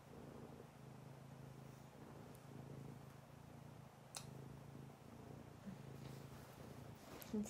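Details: Fawn Abyssinian cat purring steadily and low for the whole stretch, a continuous soft rumble broken only by a few faint clicks and a short knock near the end.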